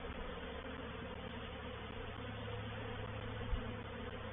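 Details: Swarm of honey bees, a reproductive swarm, moving into a swarm trap at Painted Peacock Manor on 04/07/21. Steady, massed wing buzz with a deep rumbling undertone and one brief low knock late on.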